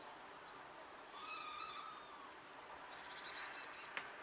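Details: A single long whistled note, smooth and level, from one of two wild female red squirrels communicating at a distance, followed by a short buzzy, stuttering higher sound and a sharp click near the end.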